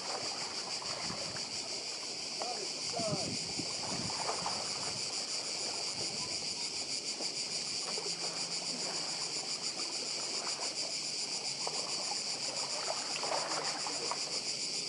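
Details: Cicadas on Badija island, Croatia, filling the air with a dense, steady, high shimmering buzz that pulses quickly without pause, over a soft wash of sea and scattered lower rustles.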